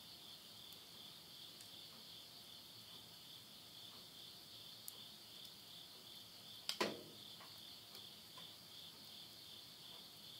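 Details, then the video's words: Late-summer insects singing at midnight in the Japanese countryside of Yurihama, Tottori, September 2020. A steady high buzzing trill continues beneath a loud crackle and pops from firewood in a stove. "the voice of insects"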